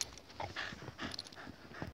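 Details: American Bully dog whimpering: brief, thin, whiny tones, some sliding upward, come in short bursts over two seconds, mixed with soft breathy rustling and a few dull knocks.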